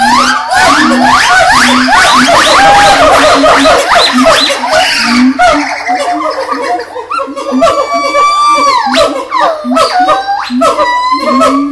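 Monkeys give loud, overlapping wailing calls that swoop up and down in quick succession.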